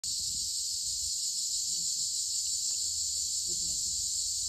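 Cicadas fill the air with a steady, high, hissing drone that never breaks.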